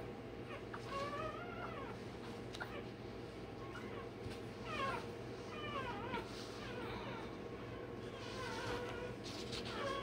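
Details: Newborn Rottweiler puppy, one day old, having tail and dewclaws done, gives brief sharp yelps and rising-falling squeaks roughly every second or two over a persistent low hum.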